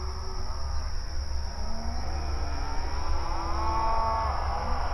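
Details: Cows at night giving mournful moos: a low groaning moo early on, then a longer, fuller moo that swells and fades near the end. A steady high whine and a low rumble fill the background.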